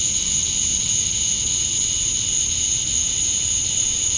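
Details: Male cicadas calling to attract females at dusk on a summer night in Georgia, USA: an even, sustained high shrill buzz with a lower droning band. There are no breaks, and a quiet low rumble sits underneath.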